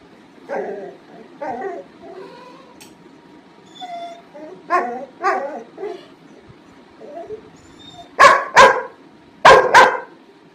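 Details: Barfi, a mischievous pet Labrador Retriever, kept waiting while its hot food cools, gives soft whining yelps over the first seconds, then two pairs of sharp, loud barks near the end, on a quiet background.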